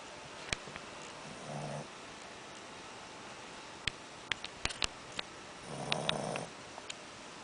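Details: Rebel, a Shih Tzu puppy, snoring after eating too much: two soft, raspy breathy snores about four seconds apart, the second longer, with scattered sharp clicks and taps between them in a quiet room.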